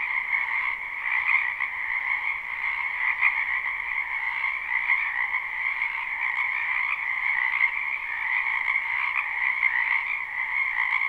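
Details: Many frogs croaking together in a spring wetland, recorded live at night: a dense, continuous chorus of overlapping trilled croaks in two steady pitch bands, slightly pulsing, with no other sounds.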